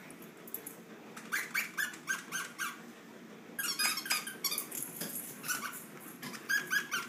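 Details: Shih Tzu dogs roughhousing in a wrestle, with a run of quick harmonic squeaks repeated about every half second, then a noisier scuffle burst and more squeaks, over constant low indoor hum.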